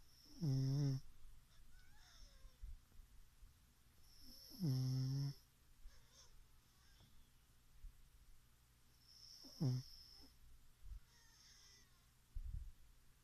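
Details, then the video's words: Pug named Chichifo snoring while asleep indoors: three loud, low, rasping snores roughly every four to five seconds, each with a wheezy nasal rattle, quiet breathing between them. "Chichifo roncando pug"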